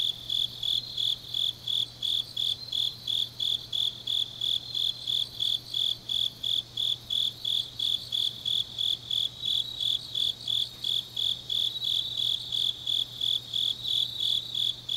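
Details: Deep-autumn-night grass insects recorded in Changnyeong, Korea, a dense run of high rhythmic chirps near three per second with an overlapping higher shimmering trill and a quiet low hum.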